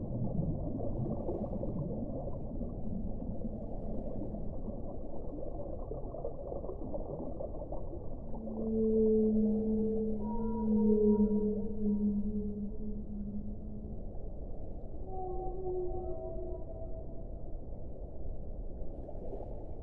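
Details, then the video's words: Whale song over a low, constant rumble: a run of long, wavering moans with overtones in the middle, followed by a few shorter, higher tonal calls toward the end. "1 ora di suono delle balene"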